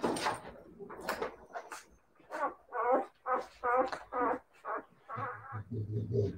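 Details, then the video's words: Siberian Husky puppies giving a run of short, harmonic whining yelps, several rising and falling calls in quick succession, some wavering, with brief gaps and a low hum underneath toward the end. "siberian husky puppies"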